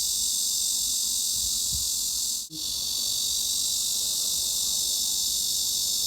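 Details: A steady, high, hissing cicada drone in the mid-frequency range of roughly 3.5–4 kHz, holding an even pitch without a break.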